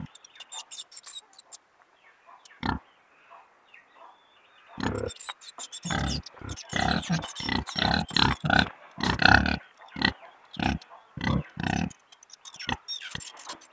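A pig grunts and snorts in a rough, uneven series of low, throaty bursts.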